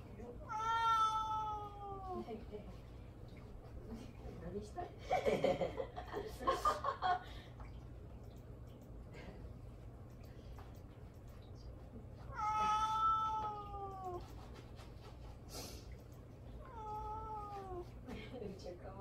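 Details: Pet cat Mame-daifuku, ignored indoors by the father it wants to turn around, gives three long, falling, plaintive meows spread across the stretch, with a burst of human talking and rustling between the first and second.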